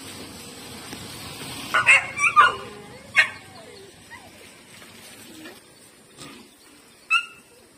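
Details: A female pet dog, Lucky, and a big street dog that bothers her. A few scattered high yelps and squeaks, including a quick pair of cries, stand out from a steady background hiss.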